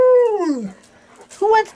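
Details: Excited golden retriever, among three dogs aged 11 to 13, singing for its dinner: a howl that starts level and sweeps steeply down, a pause, then a brief higher yelp-like howl.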